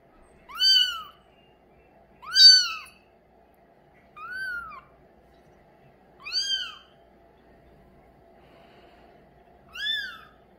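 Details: Repeated high meows from a male mink Bengal kitten, light in colour: five brief rising-falling mews at irregular intervals of roughly two seconds in a quiet room.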